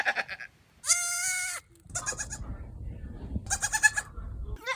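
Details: A goat gives a loud, nasal, sustained bleat amid shorter rough bursts, with a background rumble.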